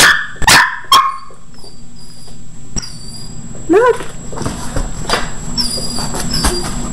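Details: A 4.5-month-old Samoyed puppy reacting to something heard outside: a couple of sharp barks at the start, then quieter whimpering with a short rising whine near the middle, over a steady low background hum.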